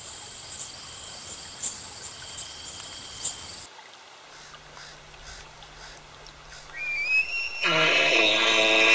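An elk lets out a high, rising whistle that breaks into a rough, harmonic bellow near the end.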